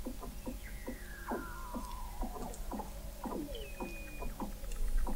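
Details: Weddell seals under thick sea ice in McMurdo Sound, Antarctica, recorded in November 2017 by the McMurdo Oceanographic Observatory 21 m below the ice. Short chirps repeat rapidly, with long whistles gliding downward and one high steady whistle.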